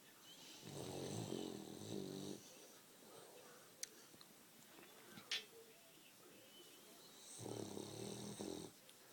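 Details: Snoring French Bulldog giving two long, grating snores roughly six seconds apart, with soft breathing and a couple of faint taps in between.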